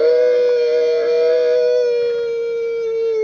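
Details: A camel in Mongolia's South Gobi desert, begging for water, gives one long, steady, nasal moan held about three seconds, sagging slightly in pitch toward the end.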